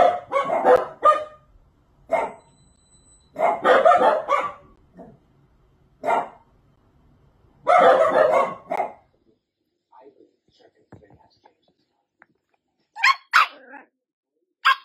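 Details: Dachshund barking in quick clusters of sharp barks separated by pauses, with a few fainter, softer sounds during a quiet stretch before the last barks.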